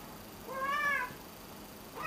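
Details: Domestic cat giving a single clear meow indoors, rising then falling in a smooth arched tone lasting about half a second, with faint room hiss and a second call just starting at the end.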